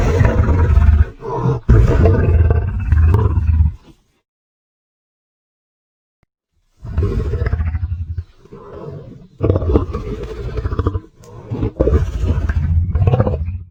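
A lion gives deep, rumbling roars in heavy bursts, with a brief silent gap between them.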